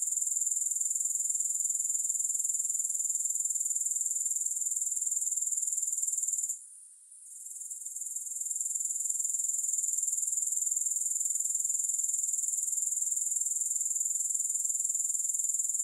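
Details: A dense, high insect hiss of grasshoppers pulses steadily, with one short fade around the middle before the shrill trill climbs back and continues evenly; no music or other noise.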